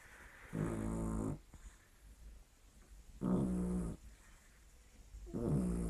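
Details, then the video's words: Lily, a pet dog, snoring indoors: harsh, rasping breaths with low harmonic buzz, each lasting under a second and returning roughly every two to three seconds, with quiet gaps between. "Lily roncando"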